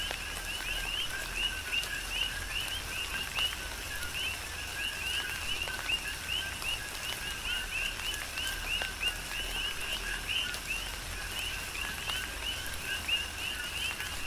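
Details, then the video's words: Many coqui frogs calling through a rain shower on Hawaii's Big Island. Bright two-part whistles, a low note then a higher upslurred one, repeat in overlapping series, backed by continuous rain noise and sharp drip sounds. "Tropical Rain & Coqui"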